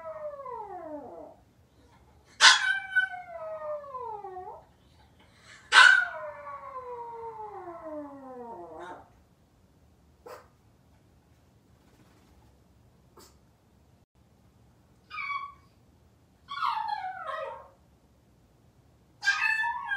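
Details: Home-alone Maltese dog waiting for its family howls in long falling wails that begin with a sharp yelp, followed by quiet gaps and a few short, higher whimpering yips.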